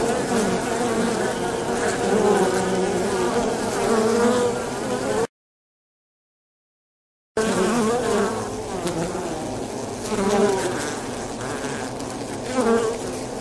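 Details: Polybia occidentalis, avispa angolita, swarming social wasps; thick continuous buzzing of many insects, broken by a silent gap of about two seconds, then the dense drone resumes with wavering whine tones.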